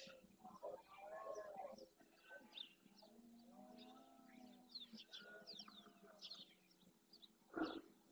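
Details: At dawn in the Doñana marshes of Andalusia, Spain, a breeding red deer stag with his herd of hinds and young roars to court females and claim his harem. Deep, moaning groans rise and fall through the clip under busy high birdsong.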